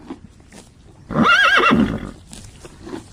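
A horse gives a single loud neigh lasting about a second, wavering and quivering in pitch before trailing off, with faint background noise around it.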